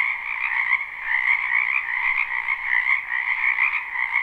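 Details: Wetland frogs croaking in spring, captured live: a thick, steady wall of rapid trilling croaks at two pitch levels, with no other sound standing out.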